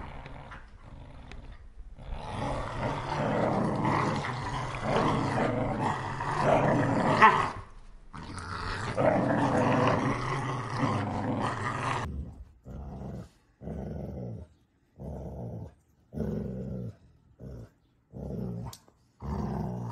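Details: Puppies playing together: rough, rumbling growls run almost continuously for about ten seconds, then break into short separate growling bursts about once a second, with brief silent gaps between them.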